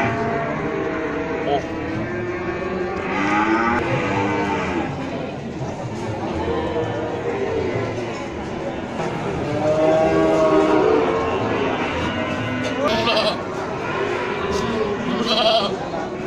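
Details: Male goats offered for sale in Gunungkidul, September 2020: many overlapping wavering bleats from several animals, coming in quick succession amid a steady crowded background hum.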